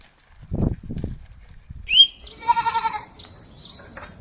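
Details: Goat eating grass gives one wavering, pulsed bleat lasting about half a second. Dull low thumps come before it, and thin high chirps follow, likely from birds.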